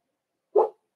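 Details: Cavalier King Charles Spaniel in a home puppy pen during a socialization session with bigger dogs, December 2022: a single short, sharp bark against otherwise silent background.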